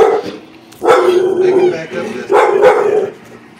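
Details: A Bull Terrier gives two drawn-out, mid-pitched, rough vocal bursts about a second apart, reacting with dislike to a Baby Yoda toy.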